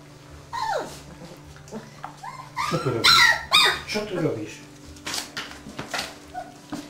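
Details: Dobermann puppies of the Best Cerber E litter, on their 25th day, give high sliding whimpers and short yelps in a burst near the middle; human voices can be heard between the cries.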